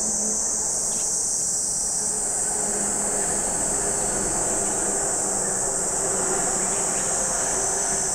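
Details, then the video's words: Cicada chorus at Lake Kamo, Sado City, Niigata Prefecture, Japan: a constant shrill high whine over a broad low rumble of passing traffic or a train. "Lake Kamo in Sado City, Niigata Prefecture, Japan, where you can hear the voice of cicadas."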